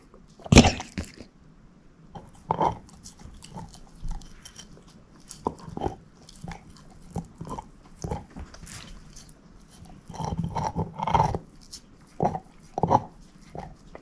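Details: Female shepherd mix named Moose eating a bone: a sharp crack opens, then irregular crunching bites recur every second or so, with a denser burst of chewing toward the end. No voices.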